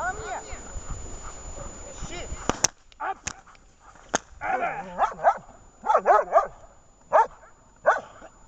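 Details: Vesta, a dog in protection training during a search exercise, barks in sharp bursts at roughly one-second intervals after a spoken passage. About eight barks follow a loud clack, some doubled, each with a gruff, harmonic tone.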